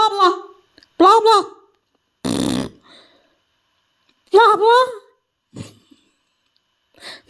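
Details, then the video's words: Domestic cat answering a strange noise inside a small room with short rising-then-falling meows, one near the start, another a second later, a third around four seconds, between a harsh fart-like burst and quiet gaps. "My cat's reaction to weird noise"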